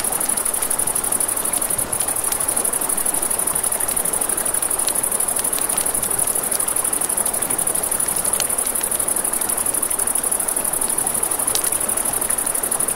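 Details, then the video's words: A continuous high cricket trill fills a nighttime riverside scene, holding steady over rushing water while a campfire gives frequent sharp crackles and pops. "Campfire by the River at Night Ambience | 1 Hour of Crackling Fire, Crickets, Ambient Nature Sounds"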